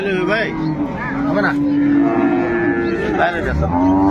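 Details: At Ambari haat livestock market in Dinajpur, where improved-breed milking cows and calves are traded, a cow gives a long, level, low moo lasting nearly two seconds, framed by busy chatter of buyers and sellers.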